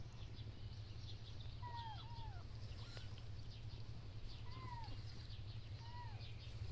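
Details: Domestic cats: a mother cleaning her kittens, strays living outdoors with a warm insulated wooden shelter. Several short, high, downward-sliding mews, about four in seven seconds, over a steady low hum.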